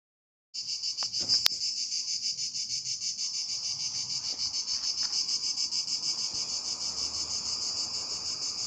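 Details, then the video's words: Cicadas in Drôme and Ardèche, France, fill the air with a loud, high, continuous buzzing that pulses slightly without a break; a summer daytime song of males calling to attract females. "Cigales en Drôme et Ardèche"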